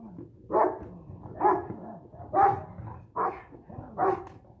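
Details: Boxer-Rottweiler first-generation bandog cross in personal protection training, giving five loud, deep barks roughly one per second, with a low murmur of voices underneath.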